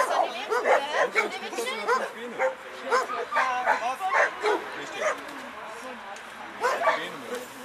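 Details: Eleven-year-old American Staffordshire Terrier Chefrem of golden Samurais performing at a German protection dog exhibition as the helper throws away the bite sleeve; rapid harsh barks over about five seconds, then quieter, with a voice speaking throughout.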